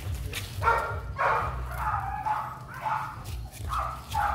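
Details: Excited dog meeting a female for the first time, giving about six sharp, high-pitched yelps with falling tails, spaced roughly every half second, over a constant low hum.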